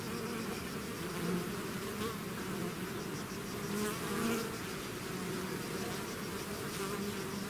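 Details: Bee swarm emerging from its hive, a loud steady buzzing with two swelling passes as bees fly close, low droning tones beneath a hissing wing noise.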